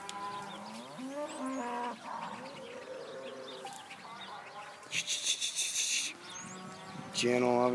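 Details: Gentle young Hereford heifers, 74 of them penned at an open heifer sale on 5/3/14, give layered, bending moos. A harsh clattering burst sounds midway, and a loud, steady moo closes the stretch.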